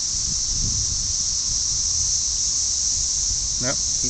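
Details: Millions of red-eyed cicadas near a house sing a deafening, steady, high hissing buzz, a mating chorus, with a brief human voice near the end.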